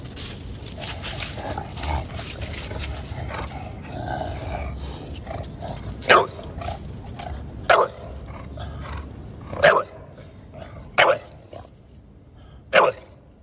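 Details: Bulldog reacting to a cat, opening with a stretch of mixed voice and noise, then loud single barks repeated roughly every one to two seconds through the second half.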